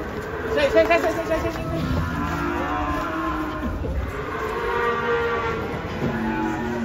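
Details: Cow, angry as it is brought down from a truck, lows repeatedly in long droning moos that bend and waver in pitch, with a brief loud burst early on and faint voices behind.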